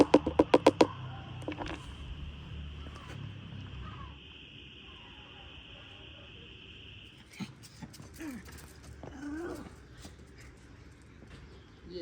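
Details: Local street cats being fed, meowing to ask for food; several drawn-out, bending meows come late in the clip, after sharp clicking taps at the start and a steady high hum through the first half.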